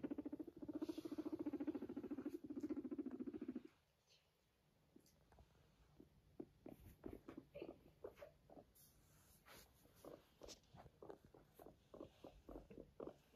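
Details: Indoor pet guinea pig walking next to its owner and purring: a steady low pulsed rumble for nearly four seconds, then silence, followed by a string of faint soft ticks and tapping patter.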